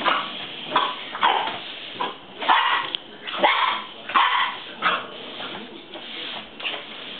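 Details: An 8-week-old Boxer puppy attacks a broom in play, giving about nine short, rough yips and growly barks in uneven bursts across seven seconds. Scraping and scuffling fill the gaps.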